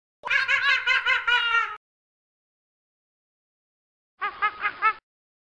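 A monkey gives a burst of harsh, pulsing chatter, then a shorter series of rhythmic, laugh-like hoots.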